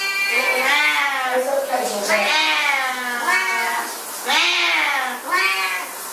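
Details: Siamese cats at shower time, meowing in long, drawn-out wails that rise and then fall, about five overlapping calls in six seconds, over a steady background hiss.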